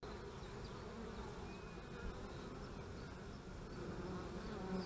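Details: Many bees hum together at the hives on March 25, 2015, a thick continuous low drone that swells slightly toward the end. No other sounds stand out.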